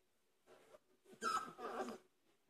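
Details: Dogue de Bordeaux puppies, 27 days old, playing indoors: a soft murmur, then a short grunting squeal with a brief thin whine running through it, fading out after about two seconds in a quiet room.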